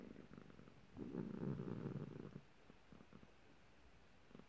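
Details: Low, throbbing rumble from an annoyed, grumpy cat swells for about a second and a half, then fades into softer, evenly pulsed breaths.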